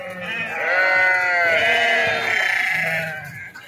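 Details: Sheep being unloaded and jumping at Pattikonda market, Kurnool district, Andhra Pradesh, India; one long, wavering, strongly harmonic bleat lasting about three seconds over a faint low hum.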